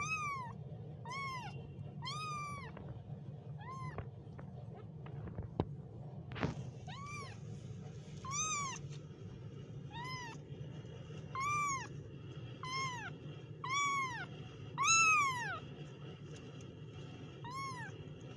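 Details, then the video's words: Kittens meowing: a series of short, high, arched mews repeated roughly every second, some pauses between bursts, over a steady low background hum with a few clicks. "kittens Meow"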